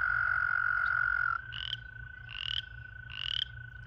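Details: American toads at a breeding pool in breeding season: a loud sustained musical trill cuts off, then a fainter steady trill continues beneath three short rising buzzy chirps spaced about a second apart, over low background rumble.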